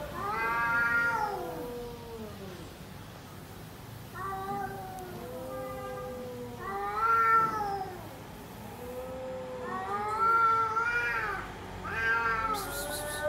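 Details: Pet cat sitting on a bean bag gives five drawn-out, wavering meows spread over about thirteen seconds, each rising then falling, with quiet room noise in between.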